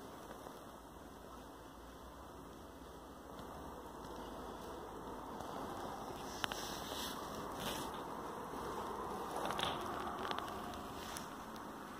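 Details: Only steady broadband rustling and handling noise, with no animal voice.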